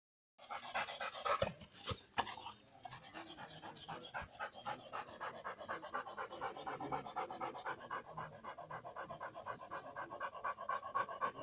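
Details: Black Labrador Retriever, tired after a long walk, panting fast and steadily, about four breaths a second, a rapid rasping huff with a couple of louder clicks near the start.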